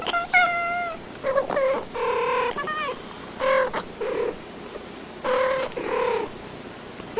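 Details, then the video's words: A pair of house cats chattering back and forth, mixing a long clear whine, quick chirrups and short nasal meows in rapid succession, almost conversational in rhythm. "The Two Talking Cats"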